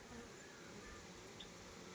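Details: Honey bees at a beekeeping hive in Nellore, India, where hives are tended for pure honey: a dense, steady, broadband buzzing that fills the whole two seconds, with no clear breaks or pulses.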